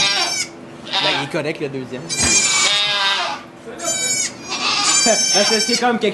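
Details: Goat giving birth to two kids inside a sugar shack in Quebec, Canada: bursts of high, shaky, wavering bleats come and go between stretches of French conversation from people standing close by.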